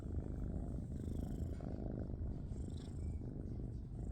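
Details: Tabby shelter kitten purring loudly indoors, a steady, deep, rapid rumbling throb that runs unbroken through the whole stretch with no other clear sounds.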